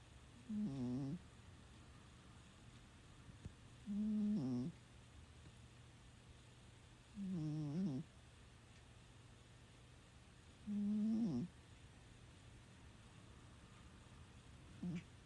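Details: Sleeping Scottish Fold cat Mei snores steadily indoors. Four clear low, rasping breaths come at regular intervals of about three and a half seconds, each a short buzzy swell, with a quiet background hum and a faint click at the end.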